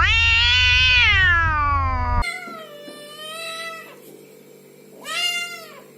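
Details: Cat producing a loud, long meow that falls steadily in pitch, then softer held meows and a short arched meow, over a faint low hum.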